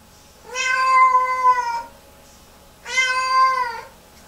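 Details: Lynx Point Siamese cat indoors, distressed hours after a bath and returning to the bathroom in repeated meltdowns: two long, drawn-out wailing meows, each about a second and a half, rich in harmonics with a slight rise and fall.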